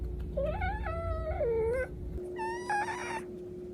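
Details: A baby cat called Cash gives a long, wavering meow that dips low at the end, followed after a pause by a second, higher, steady mew. A faint hum continues indoors.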